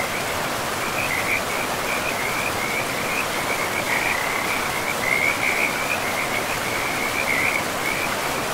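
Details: Forest frogs beside a river, a dense trilled chorus running almost without pause, pulsing in short bursts every second or so, set against the even rush of the water.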